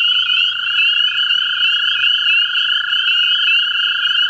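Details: American toads at a vernal pool in central Ohio sing their breeding trill, a sweet, high, sustained purr held evenly without pause; overlapping voices blend into one continuous ringing tone with little other sound behind it.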